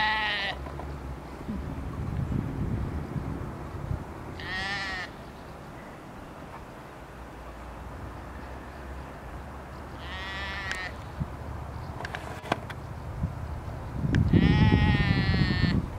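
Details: Sheep in Flåm yelling: four loud, wavering bleats with rich harmonics, about four to six seconds apart. The last one is long and strained, and low rumbling noise runs underneath.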